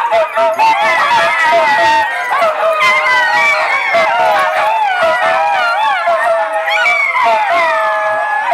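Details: Many Italian Greyhounds playing together at Mantayo Kennels in Denver, Colorado, during a January 2014 Sunday morning playdate, overlapping in a steady wavering howl chorus with rising and falling whines and scattered sharp yips.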